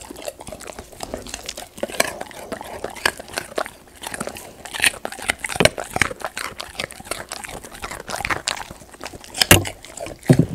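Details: Pet Golden Retriever eating raw sweet potato indoors in a small room, with dense, crisp crunching and snapping bites in rapid irregular bursts throughout, some louder cracks near the end, and faint background voice.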